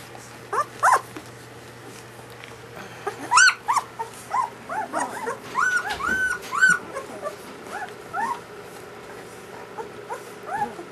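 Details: Newborn German Shepherd puppies from a dam's first litter, indoors: a busy chorus of high, thin whimpers and squeaks, many short arched cries overlapping in quick irregular bursts, some rising sharply, over a steady low hum.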